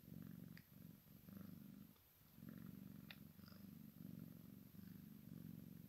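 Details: Maine Coon x Sphynx kitten playing with its mother, purring in a continuous low rumble broken into rhythmic pulses, with one short pause midway and light scratchy clicks above.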